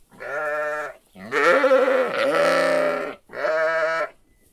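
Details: Sheep and lamb calling: three loud, wavering bleats in quick succession, the middle one longest and roughest with a quavering, strained quality, the others smoother and shorter.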